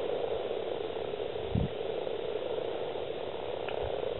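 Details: At a breeding site in East Kilbride, Scotland, on 28 February 2012, over 70 common frogs gather while the males call together, forming an unbroken, low, purring and croaking drone. A brief thump sounds midway.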